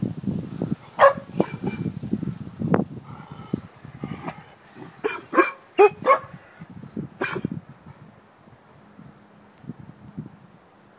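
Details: Puppy of a few months barking at a bucket that worries her: sharp, bright barks, one early and then a quick cluster of three to four around the middle, amid shuffling, scraping and handling noise.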